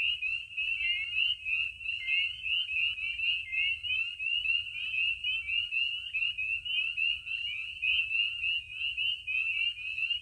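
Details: Spring peepers in a loud spring chorus at night by warming vernal pools in Maine, under the moon: dense, shrill, overlapping high peeps, each note sliding upward, forming a steady, unbroken band of sound.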